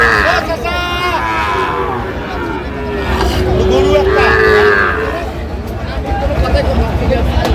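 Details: Sahiwal bull calf at Ambari cattle market, 1 August 2025, where a farmer from Feni buys bulls; one long, steady, low moo swells for about two seconds amid constant bargaining voices and crowd hubbub.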